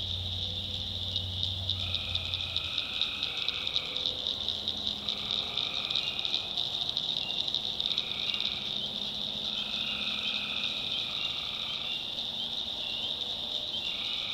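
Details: Night chorus of tree frogs from a North Carolina backwoods swamp: a constant high pulsing drone overlaid by repeated trilled bursts of about one to two seconds, several callers alternating, with a low rumble early on.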